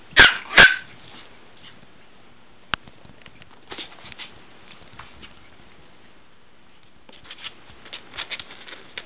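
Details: Female Chihuahua puppy, nine weeks old, from south of St Louis, Missouri, gives two sharp, high yipping barks in quick succession at the start, then a quiet stretch with faint scuffs and a few soft, short yips near the end.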